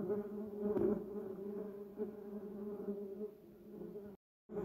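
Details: Several bumblebees foraging around a yellow cassia bush and duranta erecta, giving a continuous low droning buzz with layered harmonics, loudness rising and falling, broken by a brief silent gap near the end.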